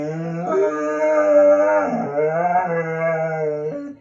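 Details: Female pet dog upset with her owner over a lack of attention, giving one long, continuous, tonal howl-like moan that wavers up and down in pitch for about four seconds.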